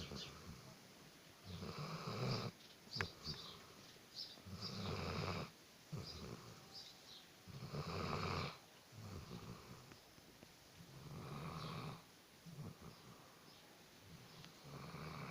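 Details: Alabai (Central Asian Shepherd Dog) asleep and snoring loudly, each noisy rasping breath lasting about a second and coming roughly every three seconds, some swelling louder than others, with a quiet room behind.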